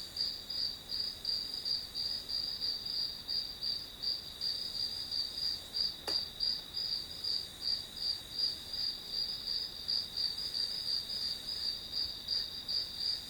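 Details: Grass insect song used as study background: a shrill, evenly pulsed chirping at roughly three beats per second. One short sharp click cuts in about midway.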